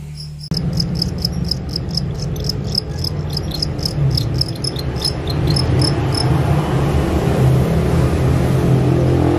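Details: Field crickets bought as a song tutor for a captive white-eye bird to learn their 'krik krik krik' sound; rapid bright chirps pulse several times per second through the first six seconds, over a steady low engine-like hum.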